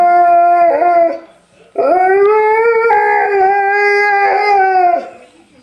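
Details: Alaskan Malamute; howl; talking instead of barking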